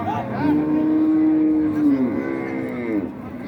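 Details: A cow gives a level, sustained low moo lasting nearly two seconds, then drops and fades. Recorded at the Raniganj cattle market in Dinajpur, 2025, with background chatter and bustle.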